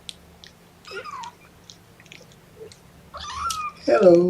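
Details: Young kittens, one of a litter of four, protest at being pottied before their weigh-in. Thin high mews come in short bursts, a rising cry near the end, with soft handling noise and a low steady hum in a small room.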